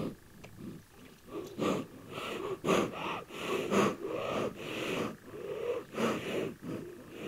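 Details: Black rhinoceros (Diceros bicornis) producing aggressive sounds: steady, wheezing snorts and heavy puffing breaths, close to one each second, with harsh breathy texture throughout.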